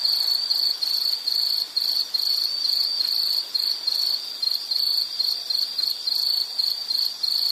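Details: Continuous high, thin insect chirping from a natural scene, evenly pulsed bursts following one another quickly, with small pauses between groups; faint background noise only.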